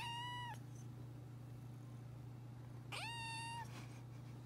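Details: Cute little meows from a three-month-old kitten: two clear, high, drawn-out mews about two and a half seconds apart, the second rising at its start and slightly longer, with a constant low hum in the room.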